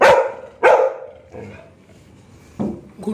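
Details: ['Labrador dog turning aggressive, seemingly outdoors on a street, lets out two strong barks about half a second apart, then fainter barks trail off against low background noise.']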